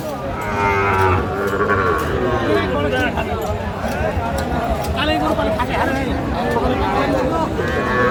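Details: At a Sylhet, Bangladesh cattle market on 24 December 2024, Sahiwal bull calves give low, rough, sustained moos under constant chatter from buyers and sellers.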